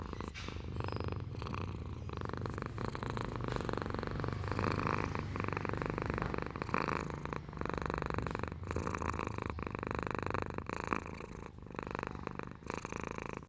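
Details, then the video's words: Pet cat purring without pause, a deep, even rumble with rapid rhythmic pulses and small shifts in loudness, heard close up in a quiet indoor setting. "Suara Kucing Mendengkur"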